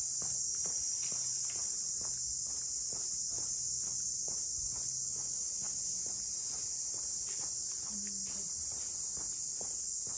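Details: Cicadas calling around Ine no Funaya, the traditional boat-house townscape of Ine north of Kyoto, Japan: a steady, unbroken high-pitched shrill hiss fills the air, with soft footsteps of someone walking beneath it.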